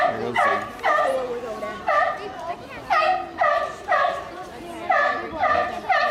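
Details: Barking from a mother sea lion: coarse, honking barks spaced about a second apart, each with a strong harmonic buzz, continuing steadily through the stretch.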